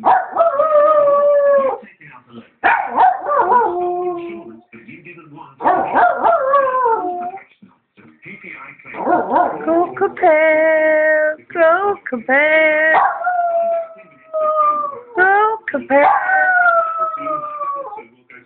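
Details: A pet Yorkshire terrier howls along to a television insurance advert, long wavering tonal howls rising and falling in pitch, in repeated phrases separated by short gaps, with the advert's jingle and music underneath.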